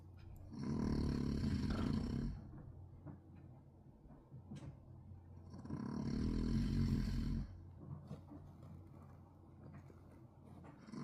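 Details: Sleeping pet dog giving heavy snores that sound like construction noise: two long, raspy, rumbling roars about five seconds apart, with quiet wheezy breathing between them.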